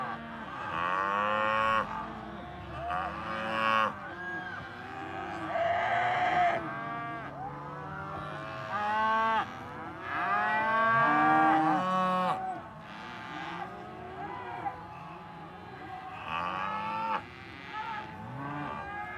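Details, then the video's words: Several cows lowing together, long harmonic moos overlapping one another in steady succession, some higher and strained, others deep, with barely a pause between calls. "Voice of Cows"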